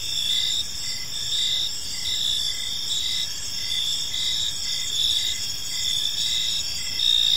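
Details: Crickets chirping in a peaceful park as evening falls, a dense layered chorus of high, steady trills with pulsed chirps repeating about every half second, several insects overlapping without pause.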